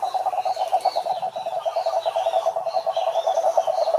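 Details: Continuous rapid pulsed croaks from a toad, a rattling, even series of low notes. Faint higher whistled tones drift above it throughout.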